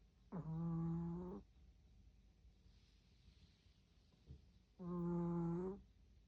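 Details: Hearty snoring from Tori, an old dog aged 16, asleep indoors: two long, buzzing, resonant snores about four seconds apart, each lasting roughly a second, with quiet breathing pauses and a faint soft bump between them.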